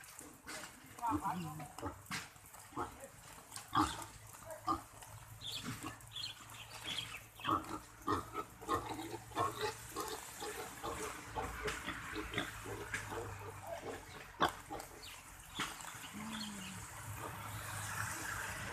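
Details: Captive wild boar kept on a farm, grunting in short, rough bursts that come irregularly over nearly twenty seconds, with a woman talking and laughing over parts of it.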